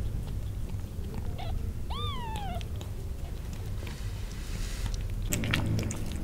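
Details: Newborn kittens crying for their mother because they want to suckle; one clear rising-then-falling high mew with harmonics near the two-second mark, otherwise low rumbling background and faint rustling.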